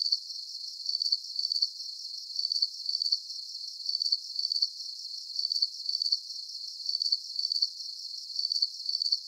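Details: Crickets in a nighttime sleep soundscape: high, shrill pulsed chirps in short bursts of two or three trills, repeating steadily about every half second to second, with no other sounds and nothing in the low range.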